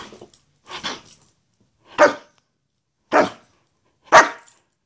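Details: Greyhound indoors, playfully goofing around: a soft grumble followed by four short, loud barks about one second apart, with quiet gaps between.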